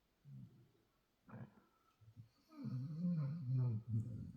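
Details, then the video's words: LuLu MaGoo, a six-month-old Belgian Malinois Shepherd puppy, snoring in her sleep in a small room; short low snorts build into a long, deep, rattling snore with a rough growling texture. "Demonic snoring of a 6 month old Belgian Malinois Shepherd puppy"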